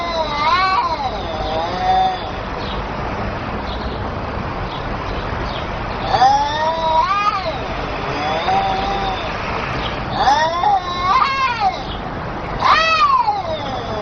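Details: Kittens calling to each other in a run of drawn-out, bending meows, some rising then falling, arriving in bursts every couple of seconds with short quiet gaps and a faint rumble behind.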